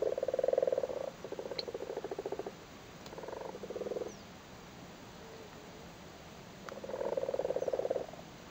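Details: Frogs spawning in a flooded cattle grid in Cork, Ireland, males sitting on spawn: rattling, purring croak bursts in a quick series, a pause, then another strong burst near the end.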